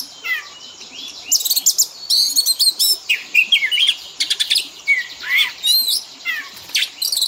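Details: Oriental magpie-robin fill-in song used to train caged birds to copy sounds: dense rapid phrases of sharp chirps, downslurred whistles and rattling trills, delivered in quick succession above a faint continuous hiss.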